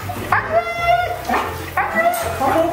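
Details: Siberian Husky being dramatic during bath time, giving drawn-out whining, howl-like calls in several short harmonic bursts, with an owner speaking soothingly nearby.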